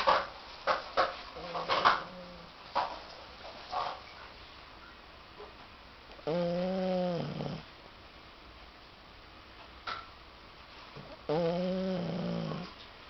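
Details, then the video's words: A very tired Cocker Spaniel snoring in sleep; two long, nasal, droning snores of about a second each, separated by sharp clicks, knocks and shuffling noises. "My Dog, Lady Snoring"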